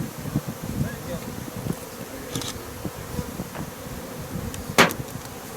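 Honey bees hum in a low, steady, wavering buzz, with a sharp click near the end.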